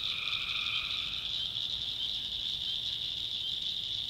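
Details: One tree frog trill of just over a second opens the clip, recorded at night in a North Carolina backwoods swamp, then only a steady high-pitched chorus drone carries on.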